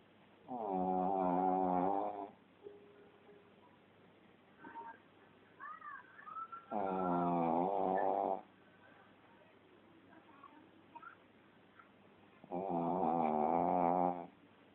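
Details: Sleeping pet Shih Tzu snoring loudly indoors: three long, rasping, buzzy snores, each lasting about two seconds and coming roughly every six seconds, with faint small sounds between them.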